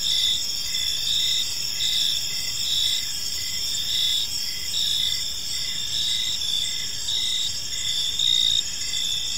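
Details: Crickets in a quiet park at evening, several ringing in a constant high-pitched chorus broken by regular brief chirps, with only a muffled low background noise.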